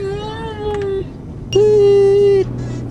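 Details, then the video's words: Two sustained level howls from Liam, the singing Irish Wolfhound, the second louder and steadier, over a low constant hum. "Liam the singing Irish Wolfhound"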